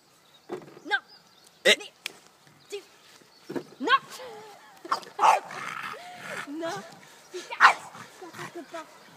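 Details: A French Bulldog attacking a robotic lawnmower gives sharp, gruff barks in uneven bursts, mixed with whining and growly tones.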